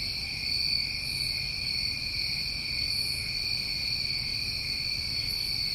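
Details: A summer chorus of New England crickets: constant high, ringing trills stacked in bands, with a couple of faint higher pulses, over a quiet low rumble.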